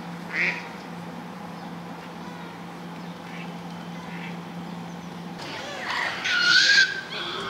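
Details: A captive baby male gorilla with keepers nearby, in a tantrum phase, gives a little but loud piercing cry when his squabbling sisters come too close: a brief shrill note early on, then a louder high screech near the end, over a steady low hum.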